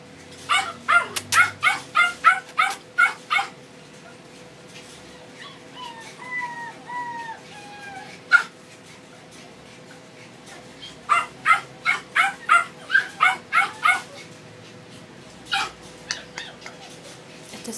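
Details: Male Doberman puppy at a shop gives a rapid run of shrill yips, then drawn-out falling whines, then another quick series of yaps, ending with sparse barks and quiet shop background.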